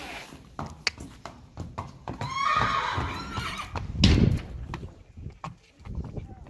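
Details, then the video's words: Young Friesian horse colts in a herd, one giving a short whinny with a quavering, stepped tone partway through, among frequent hoof clops, shuffling and a brief human voice. "Beautiful Friesian horses"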